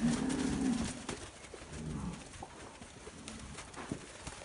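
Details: Nelore calves bred by fixed-time artificial insemination. A short low moo opens the clip, followed by rustling farm background and faint scattered noises.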